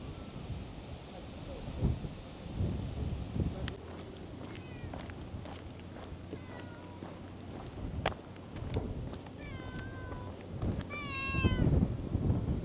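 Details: Cat giving a few short meows near the end, mixed with clicks, thumps and handling noise against a low outdoor rumble.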